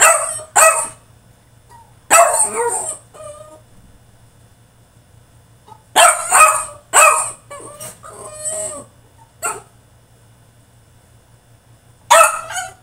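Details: Caged French Bulldog throwing a tantrum, letting out irregular bursts of harsh barks and yelping whines separated by short silences, with a louder cluster of calls around the middle and one final bark at the end.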